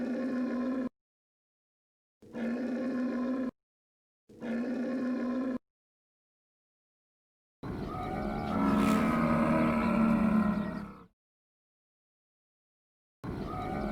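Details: Camel calling in a series: three short, even, harmonic groans about a second each, then a longer, louder, gurgling bellow of some three seconds, and another groan starting at the end.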